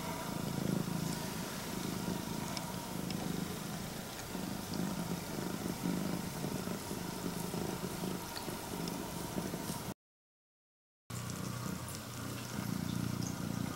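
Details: Female straight-eared Scottish Fold cat, red tabby and white, born August 2020, purring loudly like an engine while greeting its owner; a steady low rumbling drone, briefly cut by a second of silence near the end, with faint rustling.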